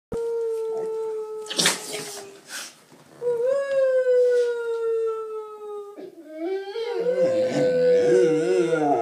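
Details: Two pet bullmastiffs howl along to noises being made indoors: long, steady, slightly falling tones, then overlapping wavering howls from both dogs. Short noisy bursts break in near the start.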